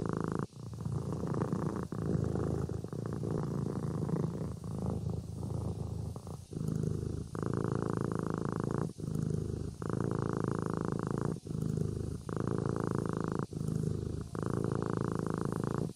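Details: Kitten purring in its sleep: a low buzzing rumble, uneven at first, then settling into a regular rhythm of roughly one-and-a-half-second purrs, each separated by a short breath gap.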